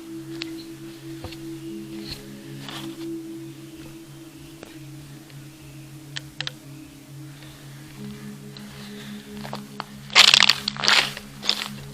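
A low steady hum with faint clicks and a burst of broadband noise near the end, with no animal calls.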